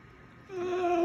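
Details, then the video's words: Dogo Argentino named Goliath, yawning and trying to talk, gives a brief steady whining tone that starts abruptly and grows louder, indoors over faint low hum. "Dogo argentino yawning and trying to talk"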